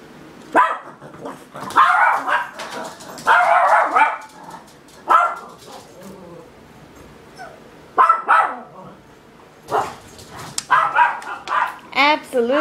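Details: A pet Miniature Pinscher barking at nothing and flipping out: sharp, harsh barks in clustered bursts of two to four, separated by short pauses, with a person talking in between and a whiny, wavering vocal sound near the end.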